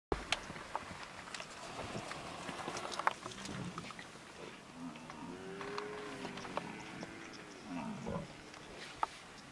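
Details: Cape buffalo herd of over 800 animals at Girivana Waterhole, Kruger National Park, September 2011; low drawn-out moaning grunts overlap through the middle, with clicks, knocks and people talking throughout.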